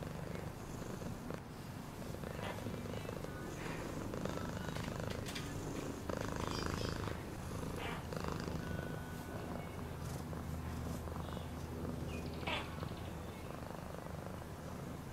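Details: A domestic cat purring steadily, a low rumbling pulse repeating several times a second throughout, with faint background hiss and occasional soft clicks and rustles.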